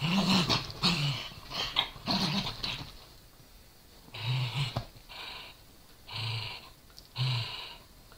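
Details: A Corgi growls while playing with a Dachshund over a toy. The clip opens with loud breathy growling. Then come separate short, low rumbling growls spaced about a second apart.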